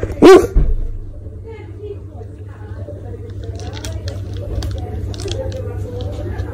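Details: A male Basset Hound gives one loud, deep bark to ask for food, followed by a low hum.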